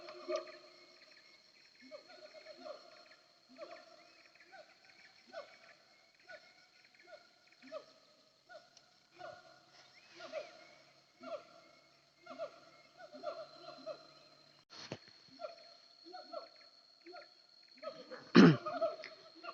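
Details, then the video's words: Distant siamang chorus from the Bukit Kalowan hillside between Nagari Paru and Nagari Durian Gadang: repeated descending hoots in uneven bouts, a thin high insect tone throughout, and a loud nearby thump near the end. "Suara Siamang Tagogau"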